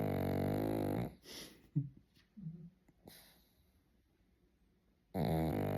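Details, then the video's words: Sleeping pug snoring indoors: a loud, rasping, buzzy snore lasting about a second, then a quiet gap of about four seconds with a few soft snuffles and clicks, then the next heavy snore begins. "Snoring Pug"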